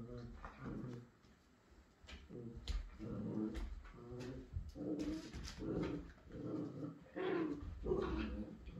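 A Miniature Schnauzer lets out bursts of short, mid-pitched barks mixed with whiny yips, coming in uneven clusters. The barking is an invitation to another dog to play, with faint voices in a small room behind.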